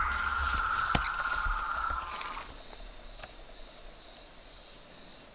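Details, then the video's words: Frogs and toads call at dusk from a pond beside a house veranda. A steady, dense trill holds for about two seconds and then fades. A faint high-pitched continuous drone remains, with a couple of soft clicks. "A SINFONIA DOS SAPOS, RÃS E PERERECAS"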